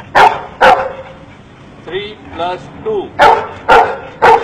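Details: Dog being taught to count by an Indian man: two sharp barks, then a man's voice speaking briefly, then three more sharp barks in quick succession, about half a second apart.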